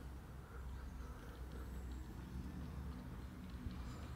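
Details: Cat purring, a kitten together with its father: a steady, low rumbling purr that runs unbroken through the whole stretch with a faint pulsing texture, and no other clear sounds.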